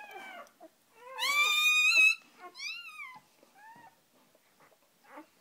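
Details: Dog litter just born, with a mother dog and her first three newborn puppies indoors; high, harmonic squealing whines rising and falling, one long loud cry near the middle followed by shorter fading squeaks, with soft background noise.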